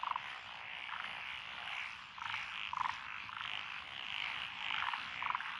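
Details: Frog chorus from lotus rice paddies along a country road in Echizen, Fukui, Japan, 12 June 2021, with Japanese tree frogs, black-spotted pond frogs, wrinkled frogs, Schlegel's and forest green tree frogs; dense overlapping croaks with short louder bursts every second or so.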